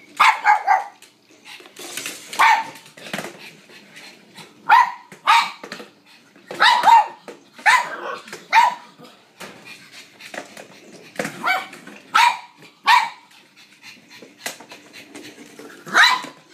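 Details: Mary, a blind female pug, barking during a game of fetch with a noisy battery-operated ball; short sharp yappy barks repeated irregularly, singly and in pairs, about every second or two across the stretch, with brief pauses between.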